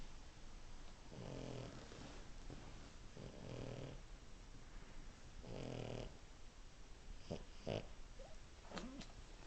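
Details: A French Bulldog asleep and snoring: three low, rasping snores about two seconds apart, each a rough breathy rumble, followed by a few short snuffling clicks and snorts near the end.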